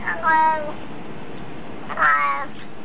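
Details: A cat saying hello with two short meows about one and a half seconds apart, each a bright harmonic cry that rises slightly and falls, over steady background hiss.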